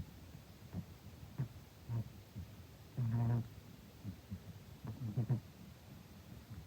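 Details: A nearly 15-year-old cat snores through a daytime nap. Low, rough rumbles recur about every two seconds, one louder buzzing snore about halfway through, over a steady quiet hiss.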